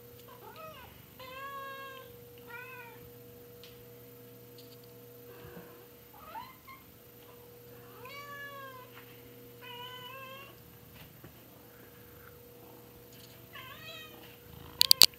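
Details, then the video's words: Domestic cat meows indoors, short clear harmonic calls separated by pauses, some with a pulsing wavering tone, a faint steady hum behind, and a few sharp clicks near the end. "kitty cat chorus"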